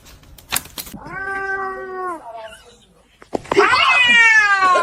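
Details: Kitten meowing indoors: one clear, drawn-out meow, then a louder, harsher, longer wail after a pause, with a person speaking and a brief click at the start.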